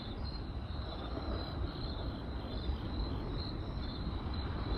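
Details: Night-time crickets keep up a thin, high, pulsing chirp over a dense bed of fire crackle and deep rumble.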